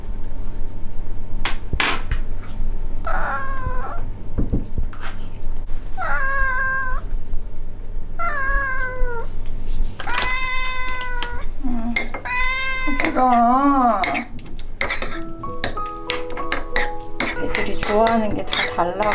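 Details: Ragdoll cats, one of eleven kept indoors as pets in a home in South Korea, meowing while wanting treats: a series of drawn-out harmonic meows with wavering pitch, some rising then falling, about one every two seconds, with clicks and taps between.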